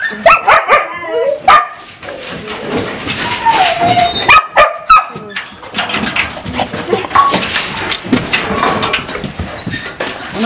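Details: Shelter dogs in Vinogradnoe near Gelendzhik, Russia, recorded in November, eager to be taken for a walk; a dense chorus of overlapping barks, yelps and whines from many dogs, with a woman speaking amid the clamour.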